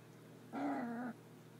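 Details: A two-week-old Griffon puppy gives a single short, low, tonal whine lasting about half a second. It holds a level pitch and then dips slightly before stopping, in a quiet setting with a faint steady hum.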